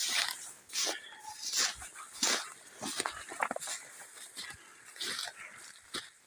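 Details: Laika hunting dogs working in the forest while a raccoon dog is taken; sharp, high, irregular barks and yelps in rapid bursts, with rustling undergrowth and wind between them.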